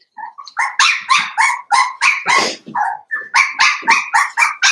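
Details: Indoor puppy pen holding five blenheim Cavalier King Charles Spaniel puppies born at New Year: a rapid run of high, sharp puppy barks, about four per second, steady and insistent throughout.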